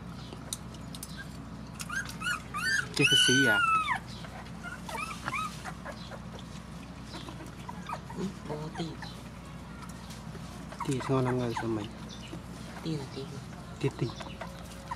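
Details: During feeding of rescued mother dogs and their puppies, a drawn-out high whimper rises and falls near the start. Softer whines and yips follow at intervals, with people talking throughout.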